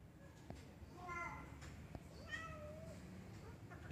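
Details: Black cat climbing a tree, mewing twice: a brief bright meow followed by a longer, wavering call that slides gently downward, with faint clicks and a soft low rumble behind.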